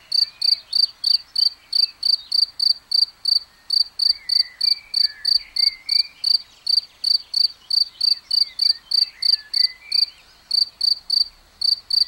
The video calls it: Un grillon qui chante, on le voit bien